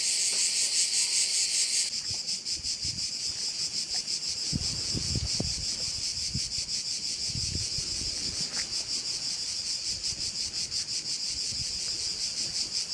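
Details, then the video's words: Crickets at a Korčula bay, Croatia: a loud high chorus that drops in volume after two seconds and carries on with quick, fairly regular pulsing, under scattered low knocking sounds. "Korčula - view of one of the bays in Korcula with sounds of crickets"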